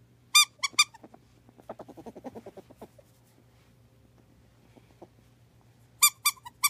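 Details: Loki, a pet ferret kept with a cat named Tater, indoors: sharp high squeaks at the start and again near the end, with softer low rapid clucking chatter between them and a steady low hum behind.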